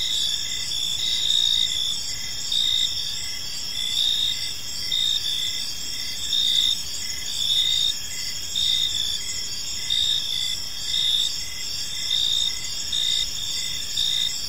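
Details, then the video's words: Crickets in a park at evening, chirp bursts swelling roughly once a second over a steady high-pitched drone of many insects, low ambient noise beneath. "Park Serenade: Cricket Sounds in a Peaceful Park | Evening Ambience"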